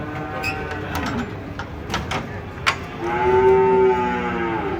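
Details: Unloading of huge cattle from a truck: metal bangs and rattles first, then one long, steady, resonant moo swells up near the end.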